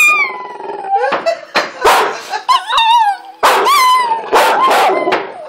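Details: Domestic dog giving loud drawn-out howls, each sliding downward with a wavering tone, mixed with short vocal bursts and human voices joining in between.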